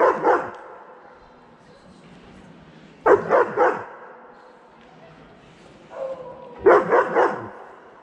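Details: German Shepherd, eight months old, barking to invite a cat to play, recorded on an iPhone: rough barks in quick bursts of two or three, with a burst roughly every three seconds over a low background hum.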